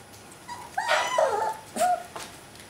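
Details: Alaskan Malamute puppies, from a 2012 litter, outside the whelping box: two high, tonal whining cries, the first wavering and falling, the second short and bending, with a faint patter between them.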